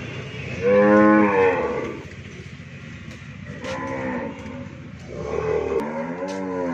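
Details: Friesian cow, calved once with a bull calf, at a dairy farm in Bhangura, Pabna, Bangladesh: a full, curving moo opens, then murmured lows, and a second moo begins near the end over a low droning background.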